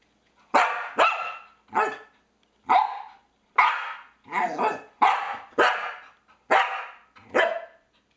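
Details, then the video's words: Pet Norwegian Elkhound indoors barking at a PS3 pointer: loud, sharp barks, about ten in eight seconds, some in quick doubles, with brief pauses between. "Elkhound Dog Barking at PS3"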